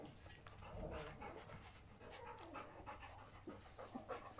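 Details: Three-week-old puppies from the litter of Folie and Mayley, panting in soft, rapid, breathy bursts that run steadily through the clip. The sound is quiet and airy, with no clear voiced calls.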